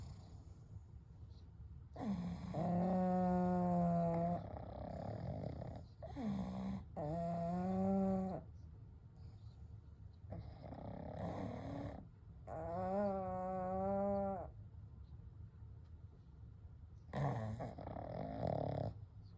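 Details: Three pugs sleeping together indoors at night, snoring and breathing gently; drawn-out nasal, whistling snores of about two seconds each come in several bouts separated by quiet breathing pauses.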